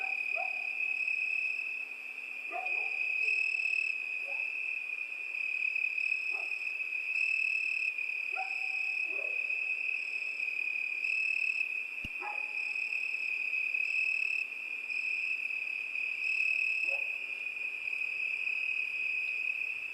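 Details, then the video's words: On a summer night, crickets keep up a constant high-pitched trill, with a higher pulsing tone coming and going; brief lower-pitched calls break in every two to three seconds, and a sharp click comes midway. "ЗВУКИ ЛЕТНЕЙ НОЧИ. ПОЮТ СВЕРЧКИ."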